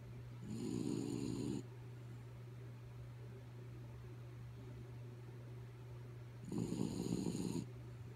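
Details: Dog named Kaya Boo sound asleep, giving two grating snores about a second each, six seconds apart, against a continuous low mechanical hum.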